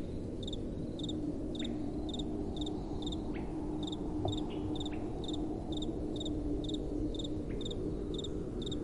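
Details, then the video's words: Night-time crickets chirping in an even, high-pitched rhythm, roughly two pulses a second, with a gentle wind blowing underneath and a faint low hum. "Relaxing Night Time Sounds | Crickets & Soft Wind"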